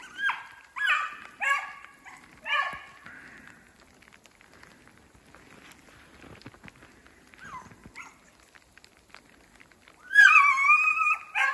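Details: Two beagles, brother and sister, trailing a snowshoe hare through woods in fresh snow with sleet turning to rain; several clipped baying barks, a quiet stretch, then a long drawn-out howling bay.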